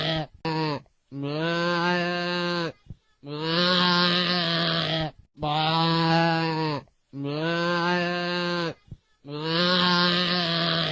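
A goat bleats repeatedly, each call a sustained, low, nasal drone lasting over a second. Short gaps of near silence separate the calls, which come at a fairly even pace.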